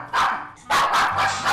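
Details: Pomeranian dog barking at unfamiliar visitors in a design studio in Korea: a harsh bark, a short pause, then a run of rapid, rasping barks.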